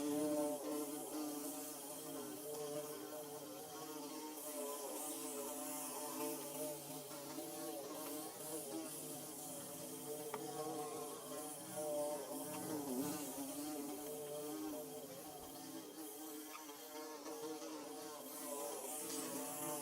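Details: Bees building their hive (Mizo: khuai bu siam lai), recorded close up: a steady, low droning buzz with layered tones that waver gently, holding continuously throughout at a quiet level, with no other clear sounds.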